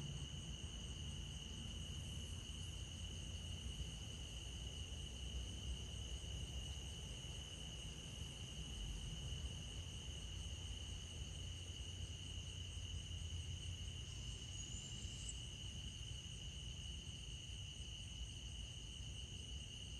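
Crickets keep up a steady, high-pitched chirping chorus over a low, constant rumble.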